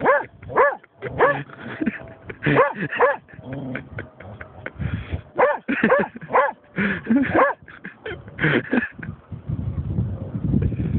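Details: German Shorthaired Pointer Snoop barks excitedly and repeatedly at a dead seagull he has found, rapid yelping barks coming in dense runs with short gaps, over background rumble.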